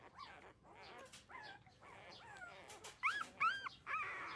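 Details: Newborn puppies, thirteen days old, drinking their mother's milk: scattered nasal whines, then two loud sharp rising-falling squeals near the end followed by a sustained whimper.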